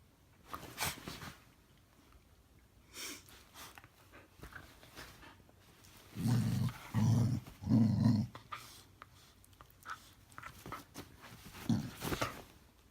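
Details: Pet Norwegian Elkhound, a female dog resisting bedtime and wanting to play; rustling and soft snuffling first, then three loud low grumbling growls in quick succession around mid-clip, and a brief final grunt.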